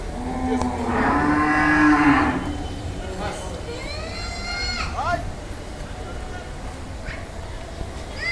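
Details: Heavyweight Damur cow at Al Madina Cattle Farm, shown for Qurbani 2022, gives one long, loud, steady moo of about a second with rich harmonics. Rising, sweeping voices and crowd chatter follow.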